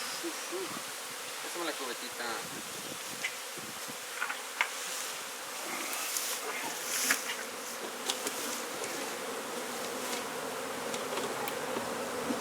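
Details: Honey bee colony being removed from a wall and relocated in Brownsville, Texas: a dense, steady buzzing hum fills the recording, with scattered clicks and knocks from the removal work.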